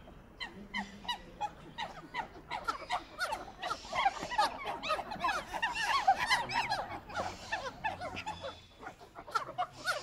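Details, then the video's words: A group of monkeys chatters: dense, overlapping high squeaks and arched chirps build in intensity toward the middle, repeating about three times a second, with a low murmur underneath. "monkey sounds"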